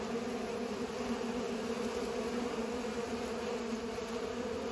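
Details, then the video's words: Pollinating bees make a steady, continuous droning buzz with a low hum running unbroken throughout, with no other clear sounds. "Bees are pollinating"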